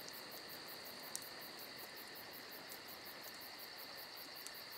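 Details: Crickets on a summer night beside a campfire: a steady, shrill, unbroken trill with a fast pulsing shimmer above it, and a few faint crackles from the fire.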